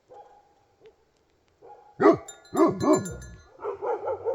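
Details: Himalayan sheepdog (Bhote Kukur) from Nepal, quiet at first, then three loud, rough barks in quick succession, followed by softer repeated yelping calls.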